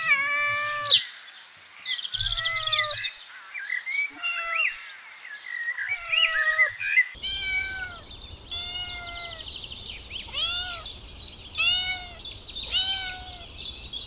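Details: Kittens pawing at pine cones on green grass outdoors make many overlapping high mews and squeaks, then a steady sequence of short, falling meows roughly every second over a low rumbling background.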